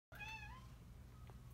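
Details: Domestic Shorthair cat up for adoption at a shelter, giving one clear, tonal meow that rises slightly and then falls. A person speaks softly just afterwards over a low indoor hum.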